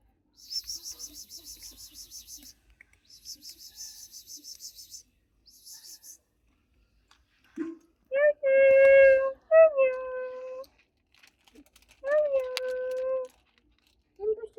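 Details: Newborn Persian kitten crying indoors in a small room: a few loud, steady, tonal mews, each about a second long with a slight upward start, preceded by soft, rapid, hissing high-pitched rustles and brief quiet pauses.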